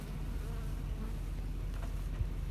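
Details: Agitated honey bees worked in Western Canadian bee yards amid heavy wildfire smoke, July 20, 2021; a louder, dense, deep hum of a crowded colony, unbroken and even, with a brief faint buzz flicker near the end.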